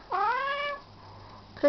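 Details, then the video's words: Bebel, a male house cat acting innocent after doing something wrong, utters one rising, slightly plaintive meow lasting over half a second, followed by a low hum, then the start of another short meow at the end. "Talking cat"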